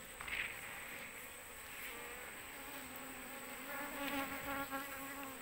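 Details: Swarm of Asian honey bees (Apis cerana) clustered on an oil palm frond during a search for their queen; dense, close buzzing with wavering wingbeat tones that swell and fade as individual bees pass near.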